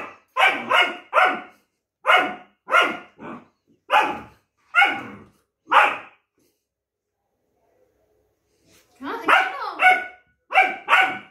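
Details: Longcoat German Shepherd puppy Duke protesting a multivitamin and arguing with his owner, firing off about ten sharp, evenly spaced barks over six seconds, a short silence, then a burst of higher, drawn-out yowling barks.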